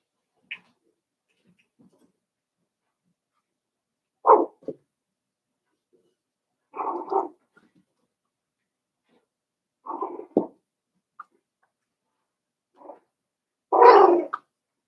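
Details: Five-week-old Cavalier King Charles Spaniel puppies in their pen give short yappy barks and whiny yelps in separate bursts every few seconds, the last one loudest and most drawn out, against an otherwise quiet room.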